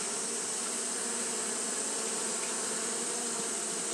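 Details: Japanese honey bees keep fanning through the heat of a hot day, giving a constant buzzing hum with steady low bands under a wash of bright hiss.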